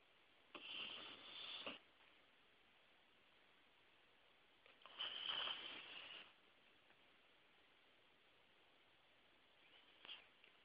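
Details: A 14-year-old Yorkshire Terrier named Santus napping and dreaming indoors: two soft, breathy, hissing bursts about a second long, roughly four seconds apart, then a brief faint sniff near the end, over a quiet room hiss.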